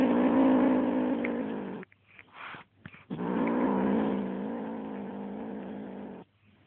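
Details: Kitten attacking a feather toy with loud, sustained low growls, one under two seconds and another about three seconds long, with brief scuffling noises in the gap between them.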